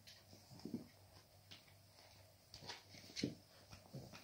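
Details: Cavalier King Charles Spaniel puppies playing with their mother give soft, brief yips and whimpers, with scuffling noises in between.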